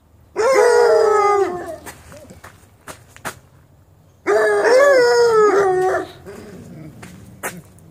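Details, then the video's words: Bluetick and Black and Tan coonhound puppies howling: two long, wavering howls about a second and a half each, separated by a pause of a few seconds with faint clicks and rustles between them. "Howling Hounds"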